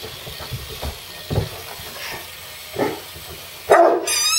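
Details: Harlequin Great Dane, two years old, reacting indoors to an electric screwdriver during desk assembly: a few low, spaced woofs, then a louder bark as the screwdriver's high whirring whine starts at the end.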